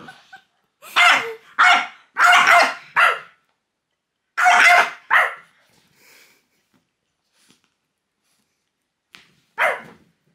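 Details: A French bulldog named Loki goes crazy at fingers pointed at him: a burst of four fast harsh barks, two more after a pause, quiet stretch, then a single final bark.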